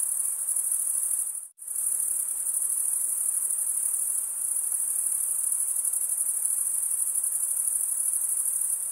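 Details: Male crickets chirping by stridulation, wing scraped against the comb-like teeth of the other wing: a continuous high-pitched pulsing trill, broken by one brief silent gap near the start, then resuming unchanged.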